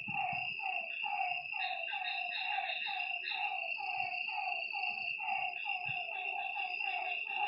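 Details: Frogs at a lake after dark, a crowded chorus of short drooping notes repeated in quick rhythm, layered over a persistent high whine from night insects.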